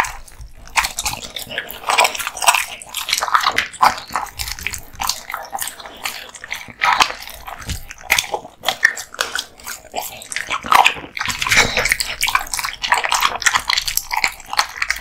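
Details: Male American Bully (Pit Bull) born 2016 chewing raw meat and bones, ASMR mukbang style: dense run of sharp crunches, cracks and wet smacks, continuous and irregular for the whole stretch.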